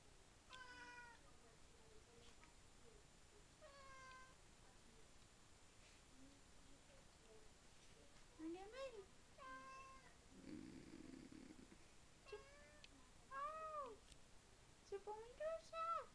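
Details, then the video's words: Domestic cat meowing excitedly at mealtime indoors, a string of rising-and-falling meows, some short and some drawn out, roughly ten calls, while a woman talks to it in French between them. "Chat qui parle / 話をする猫"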